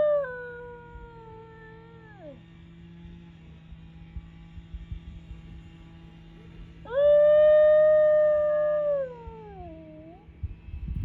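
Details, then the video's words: Yodel-like howls of a New Guinea singing dog: a descending tone sliding down to end, a long quiet gap, then a rising, held, then falling howl with a wavering tail, low hum and faint rustling beneath. "New Guinea Singing Dogs!"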